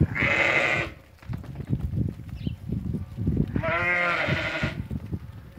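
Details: Ewes that have lambed, part of a group of 80 offered for sale: two harmonic, wavering bleats about three seconds apart, with a steady clatter of knocks and shuffling between them.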